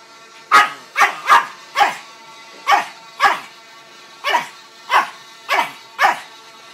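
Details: Tyson the Chihuahua barks back at a vuvuzela app. About ten quick, bright yaps, some in close pairs, sound over a constant buzzing horn drone.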